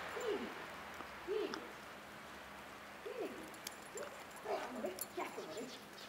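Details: Siberian Husky named Lotus enjoying the snow in February 2010, giving a series of short rising-falling vocal yips and whines spaced about a second apart, with a quieter cluster of calls near the end over faint background hiss.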